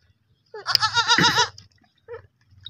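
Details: A baby goat gives one loud, quavering, tremulous bleat lasting about a second, followed by a short quieter call.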